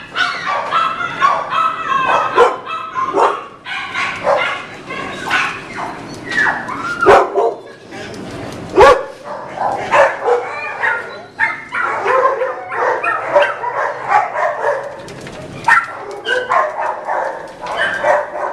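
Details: Izzy, a female American Bulldog mix rescued from animal control and bound for foster care in Chicago, gives short excited yips and barks in rapid bursts, overlapping with cheerful human voices, clapping and background music.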